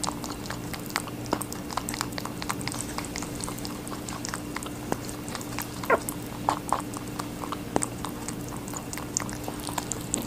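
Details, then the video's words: A rabbit eating watermelon indoors, with rapid crisp crunching and wet bites in irregular bursts over a steady low electrical hum. "Rabbit eating a watermelon"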